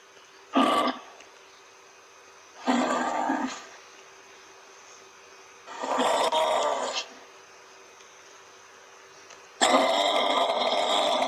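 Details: Kangaroo uttering four rough, grating bursts at irregular intervals, the last one longer and more strained, over a steady low electrical hum.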